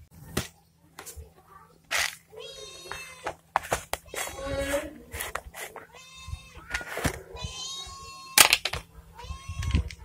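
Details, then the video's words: Hungry pet cats meeting their owner and being fed dry food; repeated loud, harmonic meows, several rising then falling, come in quick succession amid clattering, food sounds and occasional human voices indoors. "Owner Feed Hungry Cats"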